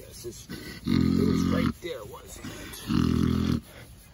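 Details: Snoring pig Ms Piggy dozing under scratches, two long, low, grating snore breaths about two seconds apart, with brief quiet human murmurs between them.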